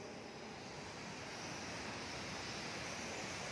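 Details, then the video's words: A steady, rushing roar from the wingbeats of huge numbers of bats overhead in a cave at Gunung Kombeng, Muara Wahau, East Kutai, East Kalimantan, in the afternoon. "Nah, yang seperti suara gemuruh itu, ya itulah suara kelelawar tadi."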